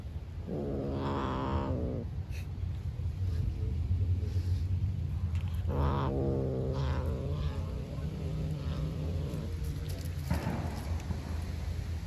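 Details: Hungry black stray cat living outside growls to keep food from a beige cat: drawn-out harmonic growl-yowls of about 1.5 s, at roughly 1, 6 and 10 seconds, over steady low rumbling background noise.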